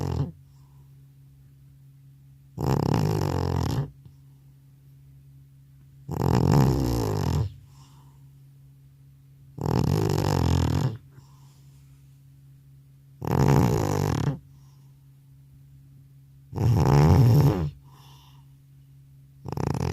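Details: Old cat, called grandpa, deeply asleep after returning from a vet visit, snoring loudly indoors: about six rough, low snores, each roughly a second long, spaced about three and a half seconds apart, over a steady faint hum.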